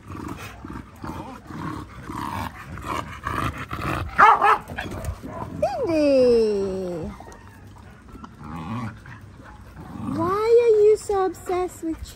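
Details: Linc, a baby Australian cattle dog puppy, playing with bigger puppies in a paddock: high, whining yelps that slide downward and rise again in drawn-out harmonic tones, between short busy scuffling noises.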